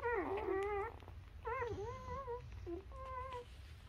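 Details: Nursing newborn Labrador Retriever puppies make short, high, bending squeals and whines, three or four separate cries in quick succession, in a small quiet room.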